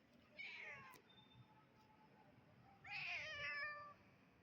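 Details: Little kitten giving two clear, high-pitched meows, the second longer and louder, with a gap of about two seconds between them against a quiet background.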